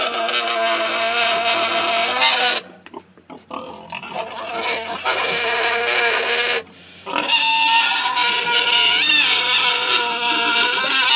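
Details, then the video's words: Loud complaining from a Tamworth sow separated from her six-week-old piglets, blocked by a person and pestered by her boar in the paddock; three long raspy screaming bouts divided by short gaps, the final one wavering in pitch. "Tamworth Sow - Loud Complaining"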